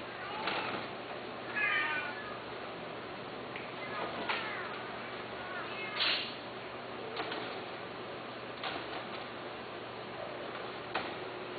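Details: Cats meowing in short bursts scattered across the recording, high harmonic mews mixed with clicks and knocks against a steady background hum.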